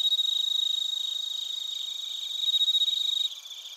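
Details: A close cricket in Narita, Chiba, Japan, among bell crickets and other crickets, gives fast, loud, ringing pulsed chirps that beat rapidly, softening midway then rising again before dropping off abruptly. A fainter background chorus of high trills continues.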